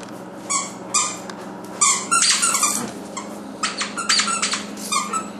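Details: Young female puppy, almost seven months old, kept as a pet indoors, giving short high squeaky yelps and whines in bursts, several clusters spread across the moment, with a steady low hum in the room.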